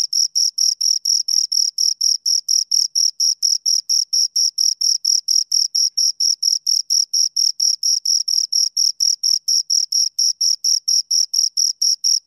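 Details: Two crickets keep up a very regular high chirping, short bright pulses around two per second with a thin overtone above, nothing else audible.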